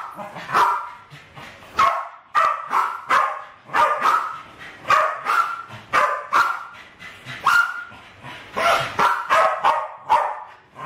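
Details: Two West Highland White Terriers, about seven and eight years old, bark excitedly in a kitchen in 2012 while playing with balloons and trying to kill them. Rapid, uneven bursts of sharp, high barks come almost continuously and overlap.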